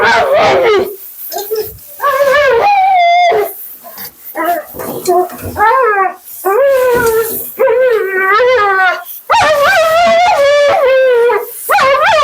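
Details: During a bath and grooming session, talkative Husky Mila delivers choppy vocal commentary: short yips and whines break into longer warbling howls that rise and fall, with quick trembling pitch in the later phrases and brief silent pauses between bursts.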